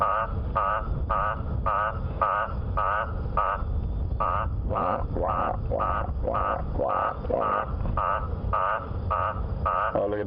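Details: At sunset on 26 October 2015 on a humid, stormy evening near lions, an Eastern olive toad, first mistaken for a guttural toad, gives loud, harsh, quacking notes about twice a second.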